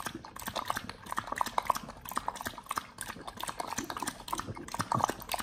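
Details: Pit Bull dog eating raw quails on a raw (BARF) diet, recorded close up: dense wet crunching and snapping, irregular bursts of bone-cracking clicks with brief pauses and soft smacking between bites.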